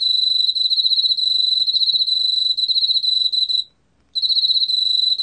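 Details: A Korean field cricket gives a continuous shrill chirping trill made of fast, even pulses. The trill stops briefly about a second before the end, then resumes.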